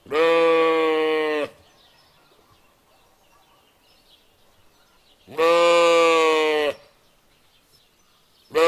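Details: Lamb bleating in two long, loud, rich harmonic calls about four seconds apart, each lasting over a second with a steady pitch, and a third call beginning at the end; quiet between calls.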